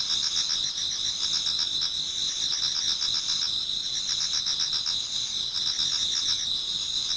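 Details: Numerous insects singing in a Japanese garden as autumn night turns to dawn; a high, steady buzzing drone mixes with regular pulsing chirps near four per second.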